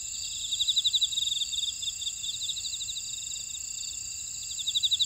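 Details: Field insects among buckwheat in Ora-dong, Jeju City, South Korea, keep up a constant high ringing chorus, with fast ticking pulse trains about four per second that surge at the start and end.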